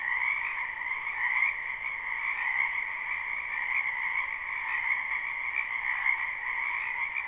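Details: Spring frog chorus from a backyard wetland, a live unlooped recording: many frogs croak together in a constant trilling wash, individual calls blurred into a steady, slightly wavering hum without pauses.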